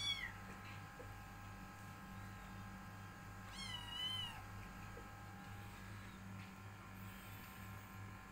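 A Persian kitten mews in short, high-pitched calls that waver and fall, spaced a few seconds apart. A constant low mechanical hum runs underneath throughout.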